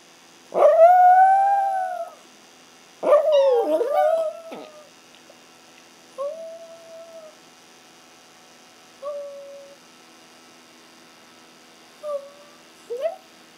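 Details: Howling Chihuahuas at home: Ace, who howls when he can't find his mom, with the brown Chihuahua Oscar picking up the habit. Two loud drawn-out howls, then shorter, softer howls fading away.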